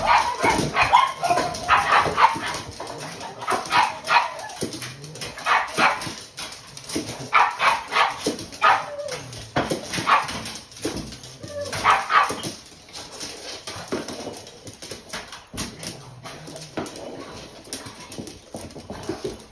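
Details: Four pet pugs in the United States barking and jumping with excitement at mealtime, indoors; dense, overlapping yappy barks about three per second, loudest in the first half, with thumps and shuffling throughout.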